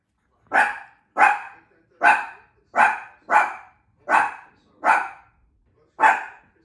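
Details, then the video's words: Shih Tzu pup barking at a new bowl: eight short, sharp, high-pitched yaps spaced under a second apart, steady and insistent, with quiet gaps between. "Shih Tzu pups reaction to new bowls."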